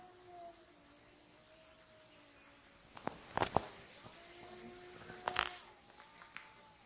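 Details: Wolves howling at an Idaho wolf sanctuary: faint, long, smooth tones that slowly waver and slide downward, with several voices overlapping, broken by sharp clicks and knocks around the third and fifth seconds.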